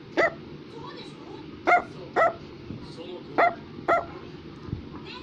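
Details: Brussels Griffon yapping in sharp, high-pitched single barks, five or six bursts spaced about half a second to a second apart, with soft speech and room noise behind.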